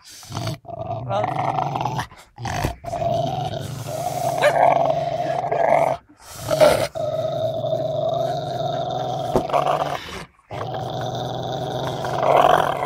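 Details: Angry Rottweiler giving a nearly continuous deep, throaty growl for most of the recording, with brief breaks and a rougher swell at the end.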